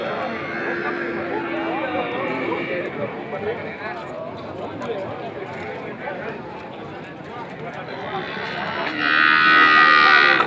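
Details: Bali cattle at Beringkit cattle market in Mengwi, Bali: a busy background of crowd chatter and market noise, then a loud drawn-out harmonic moo rises at the end.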